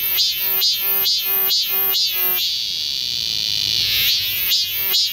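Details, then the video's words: A summer cicada chorus in the woods of Galsan Park, Seoul, South Korea. A fast series of sharp rhythmic pulses slides into a steady high-pitched whine, which fades before the pulsing resumes. "여름 자연의 소리. 매미울음소리."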